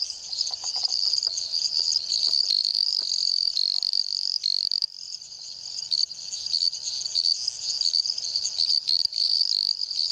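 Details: Small Dendropsophus microps treefrogs in Jaraguá do Sul, Santa Catarina, Brazil, call in a thin, high, nearly continuous buzzing trill, several voices overlapping into a chorus with faint clicks and lower notes.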